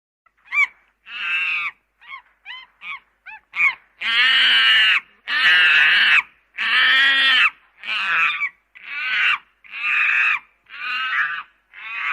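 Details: Monkey calling: short squeaky chirps followed by long, harsh, strained screams, each about a second, in a ragged series of roughly fifty per minute, with brief silences between them; no other sounds.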